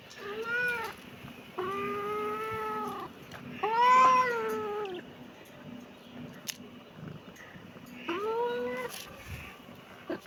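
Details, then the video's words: Kitten calling with four distinct meows: a brief one, a longer level wail, a louder arched cry, and, after a quiet gap, a final short rising meow. "kitten meowing"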